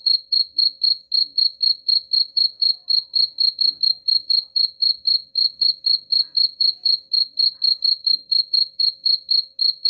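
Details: Cricket chirping, played to drive away rats: steady high-pitched pulsed chirps repeated about four times a second, even and unbroken throughout, with faint low background noise.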